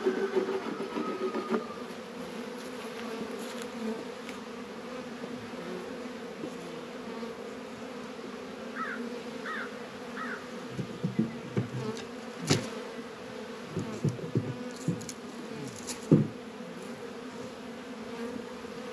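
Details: Honey bees at work in an apiary in northern Kentucky on a 72-degree February day, around Warre and Langstroth hives. A steady low hum, then thumps, knocks and low rumbling in the second half, with three short chirps midway.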